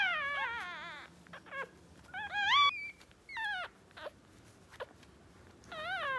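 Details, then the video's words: Two-day-old Westie puppies, one male and one female, squeal in high, quavering whimpers, some long and falling, others short and sharp, scattered irregularly with soft rustling between cries. "West Highland Terrier puppy | Two Days Old Puppies"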